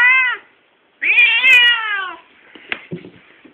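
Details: A Siamese cat with a stump tail, said to have a horrible voice, gives a short meow then a long, harsh, drawn-out yowl slowly falling in pitch; fast tail movement shows he is annoyed.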